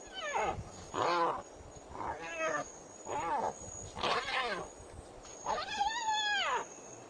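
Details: Spotted hyena giggles, a complex signal carrying information about body size, location and intention: six harsh, rising-and-falling harmonic cries about one second apart, the last longest and arching, over a faint steady high whine.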